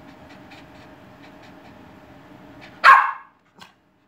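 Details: A six-month-old Cavalier King Charles Spaniel puppy that loves barking gives one sharp, loud bark, then a faint second yap.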